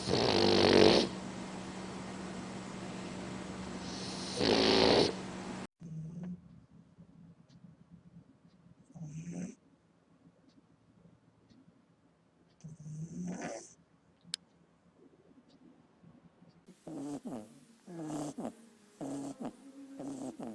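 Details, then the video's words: Sleeping puppies snore, giving soft, breathy snorts spaced several seconds apart with near silence between them. A loud hissing burst opens the recording, and a rustling, scratchy stretch comes near the end. "Snoring puppies"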